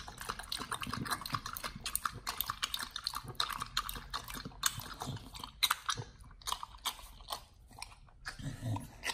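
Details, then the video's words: Pit Bull named Nomyen on a raw feeding diet, tearing into a whole raw Thai duck: rapid crisp bites and moist smacking in quick runs, with brief pauses between bursts of crunching. "nomyen the Pit Bull 1st time eats Raw🦆Whole Thai Duck [ASMR] MUKBANG 動物の咀嚼音 | 犬が生の肉を食べる [咀嚼音]"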